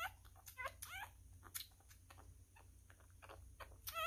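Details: Newborn male miniature schnauzer puppy being fed indoors, a messy eater: short high squeals with stacked, wavering overtones come in bursts near the start and end, between soft wet clicking and smacking sounds.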